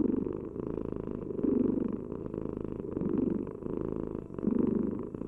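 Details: Low, buzzing purr from a domestic cat, continuous and pulsing, growing louder in four broad surges across the recording as it breathes in and out; background otherwise still.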